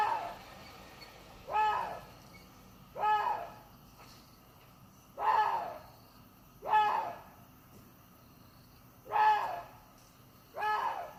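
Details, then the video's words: Water deer calling: six harsh, nasal barks with a rich stack of overtones, each short and slightly arched in pitch, repeated at uneven gaps of about one and a half to two seconds over a quiet background. "WATER DEER SOUND EFFECT 고라니 울음소리"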